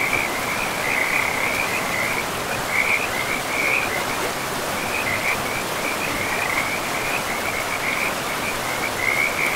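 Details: Frogs calling beside a river in a pristine forest of trees and moss-covered land; a steady chorus of rapid, trilling chirps runs almost without pause over the constant rush of flowing water.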